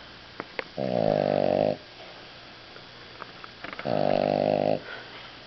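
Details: Dog snoring while asleep after eating a large meal, indoors: two long, deep, buzzy rasping snores about three seconds apart, each lasting roughly a second, with quiet pauses and faint clicks between them.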